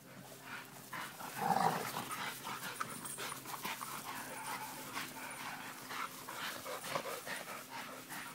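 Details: Pit Bull, Presa Canario and American Bulldog playing together; a short, loud rough vocal burst early on, then steady scuffling and huffing noises from the romping dogs.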